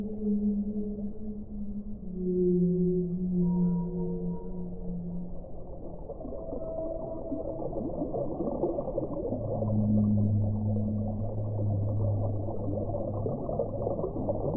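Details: Overlapping whale song: wavering, moaning tones step downward, fade, then return as a deeper, long-held groan, set against continuous low-frequency ocean rumble.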